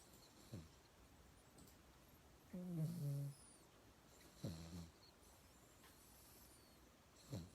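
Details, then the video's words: Yangyang, a mixed-breed pet dog, snores while asleep indoors; low humming snores around 0.6 s long with harmonic buzz, alternating with short sharp breath sounds, quiet room background. "양양이는 코골이 댕댕이"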